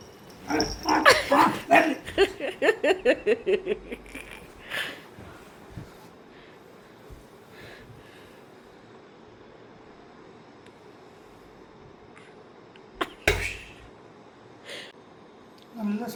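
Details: A Labrador Retriever plays with a person hidden under a blanket at home in India, giving a rapid run of about a dozen sharp barks over three seconds, then quiet room noise with occasional thumps.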